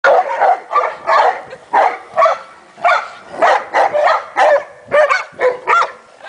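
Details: Several Leonbergers, among them Emma, Kramer, Arnie and Heidi, wrestling in play: a quick run of about fourteen rough, harsh barks and growling yelps, one after another with brief gaps.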